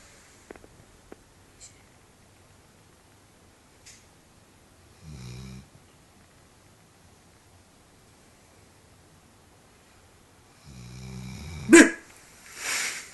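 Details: Sleeping dog snoring indoors, two low, rough, rumbling snores about six seconds apart, the second longer and followed by a brief louder snort-like rasp, with faint clicks between.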